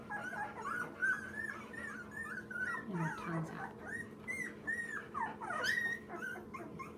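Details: Two-week-old Labrador mix puppy, one of a rescued litter of nine, indoors: many short high squeaky whimpers and mewing cries, each arching up then down, repeated rapidly and unevenly, with a steady low hum behind.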